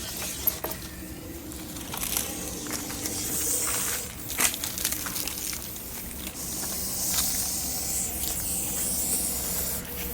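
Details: Russell's viper that entered a house in old Dhodiyavad, Vyara, Tapi district, handled by an animal rescue team; angry when provoked, it makes a pressure-cooker-whistle-like noise: long, loud, breathy hisses in two main drawn-out bursts, with handling noise between.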